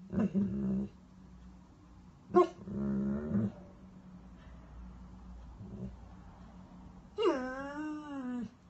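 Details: Weimaraner dog crying: low grumbling whines and short yips, then a rising, wavering high whine near the end, over a steady background hum.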